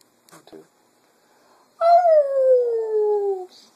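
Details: Female pet Cocker Spaniel singing in the afternoon, imitating its owners' voices: after a few soft faint sounds, one long sustained howl that slides steadily downward and fades out.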